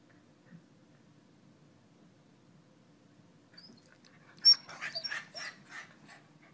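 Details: Corgi answering its owner's questions indoors with a short run of high, thin whimpering yips after a quiet stretch, several squeaky notes packed into about a second and a half.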